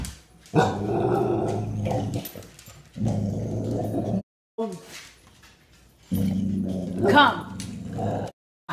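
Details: Eight-month-old female American Bully with poor eyesight, indoors in a dining room, frightened by a plastic skull on the table. Three bouts of low, rumbling growling, each lasting about two seconds, with brief gaps and a sharper noise near the end.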